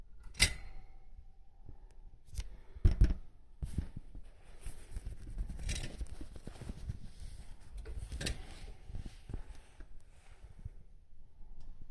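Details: Sharp clicks, snips and rustling handling noises in a small room, with no clear animal voice.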